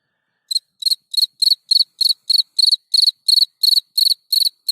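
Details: Night song of a field cricket, Gryllus campestris: after a brief silence, even, ringing high chirps start and repeat roughly three times a second, growing slightly louder.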